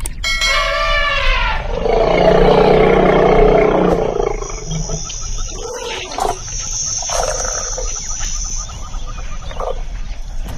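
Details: In a canal, a bathing elephant starts with a bright, stacked-harmonic call that slides into a two-second rumbling roar. Splashing and scattered noise bursts follow.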